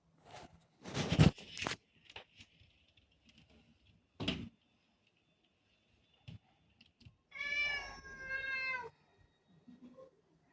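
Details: Indoors in August 2024, black cat Rudy asks for the door to be opened: loud knocks and scraping at first, then one sustained, plaintive meow of about a second and a half, with faint rustles after.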